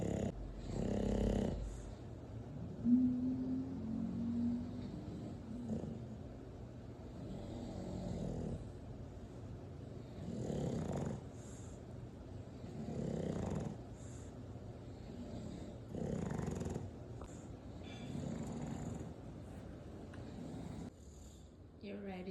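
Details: An 8-month-old English Bulldog snores in rough, rumbling breaths that return every two to three seconds.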